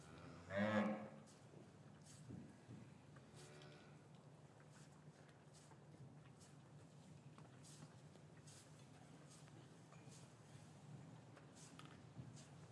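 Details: Cattle in a traditional English farm yard on a winter afternoon, calves separated from their mothers, recorded with a matched pair of microphones: one short, deep harmonic low near the start, then a quiet yard with steady low hum and faint clicks.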